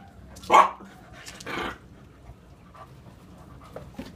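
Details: English Bulldog Sunny and Olde English Bulldog Emma playing together: one loud, hoarse bark, then a longer rough, growling bark, followed by soft panting and small sounds.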